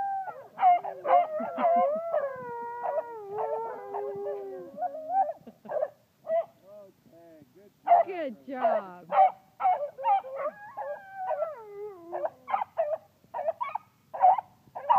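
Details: At a park, a Siberian Husky howls in long, wavering tones, joined by the deeper, choppy baying of basset hounds.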